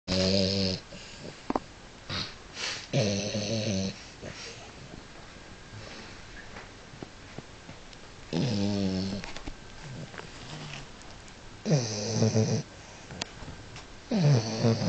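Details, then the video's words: French Bulldog wearing a wig, snoring while asleep indoors after a restless night; loud rasping snores come in irregular bursts, each about a second long, separated by quieter breathing. "French Bulldog with a wig is snoring"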